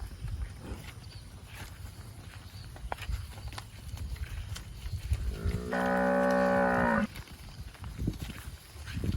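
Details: Fat cow eating grass among bushes gives one long, loud, low moo of about a second and a half midway, over steady rustling, chewing and low background rumble.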